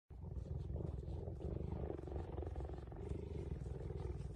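A cheetah gives a continuous, low purr, a throbbing rumble made of fast, even pulses. It keeps up the sound without a break, a sign of contentment while being stroked.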